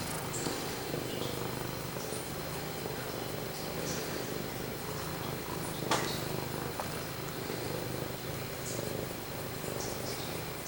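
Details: Pumpkin, a male house cat, purring close to the microphone in a small room: a continuous deep purr with even throbbing pulses, one sharp click midway and a brief murmur of a person's voice.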